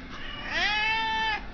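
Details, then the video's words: Domestic cat demanding to be fed gives one loud, drawn-out meow. It rises at the start, then holds a steady rich tone for almost a second before stopping abruptly. A faint low background hum is present. "Tubby Cat wants Dinner, Hear me ROAR!!"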